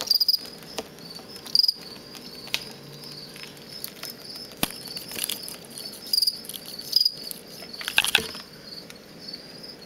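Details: Captive-bred male fall field cricket, offspring of crickets collected from a road verge outside Lethbridge, Alberta, kept in a large plastic bin and producing aggressive song used in contests. Short high pulsed chirps come scattered and irregular among clicks and rustling.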